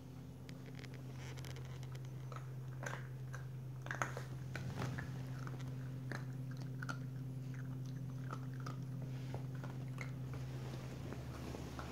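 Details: Irregular crunching and chewing sounds indoors over a steady low electrical hum, with no animal calls.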